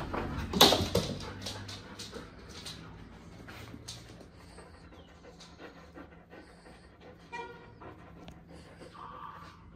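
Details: Six-month-old Alaskan Malamute puppy playing with a black cat: rapid rhythmic panting with scuffling bursts, then a short high whimper near the end; faint voices in the background.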